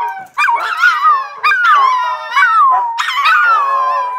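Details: Three loud Siberian husky howls, each starting high and sliding down into a long wavering tone, recorded indoors at home during play.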